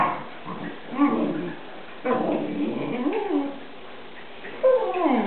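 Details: Two Newfoundland dogs play fighting, one male and one female; low growls, then whining, whimpering yips that slide downward near the end, with faint music behind.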